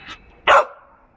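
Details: Female Samoyed, two years old, playing and getting soaked while plants are watered on a fairly sunny, warm day. One short, sharp bark rings out midway, preceded by a faint softer sound, with quiet background.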